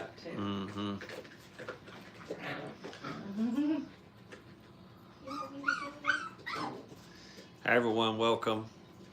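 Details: Five-week-old Brittany puppies playing at a training kennel, giving bursts of harmonic whimpers and whines, one sliding upward, with brief high-pitched yips between quieter pauses indoors.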